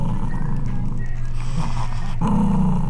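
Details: Male poodle refusing to let go of money, fighting to keep it: a low rumbling growl swells near the end over a steady low hum, after a quieter stretch of muffled sound.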